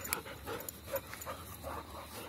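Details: A trained German Shepherd at ball play breathes in quick, regular huffing pants, roughly two to three per second, low and airy against a quiet background.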